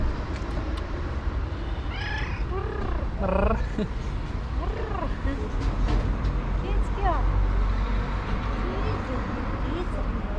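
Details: Stray cat with black stripes on its fur in Istanbul, meowing and trilling for food and affection; several arched, rising-then-falling meows between two and four seconds and another near seven seconds, over a steady low traffic rumble.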